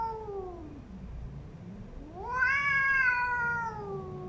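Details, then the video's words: Fighting house cats at a new home trade threats: a falling moan dips into a growl, then a sharp rise into a loud, sustained, warbling howl that slowly trails off. "PERTARUNGAN EPIC‼️RUMAH BARU COMOT DMASUKIN PUTIH AUTO PERANG"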